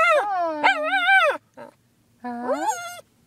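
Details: Female cockapoo, a pet dog, singing on her owner's prompting: long, wavering harmonic howls in two drawn-out phrases separated by a short gap, with a faint low steady tone beneath.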